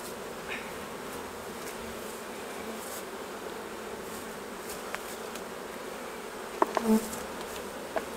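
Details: Honey bees at hives during a honey harvest, a steady low buzzing hum throughout with a few faint clicks and knocks near the end.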